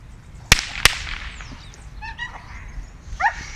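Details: Six-month-old male Dobermann puppy, born 17 February 2017, from a working line, at his first bite training, described as a strong biter, dominant and full of drive; two sharp cracks ring out, then brief high yips and a short whine.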